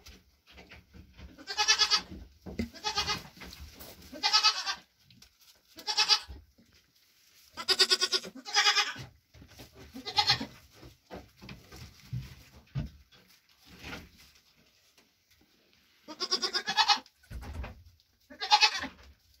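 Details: Nigerian Dwarf goat mother, with triplets born June 18th 2023, after hoof trimming and while getting her grain ration; loud harmonic bleats in repeated bursts of about half a second, with quieter low rustling and chewing noises between calls.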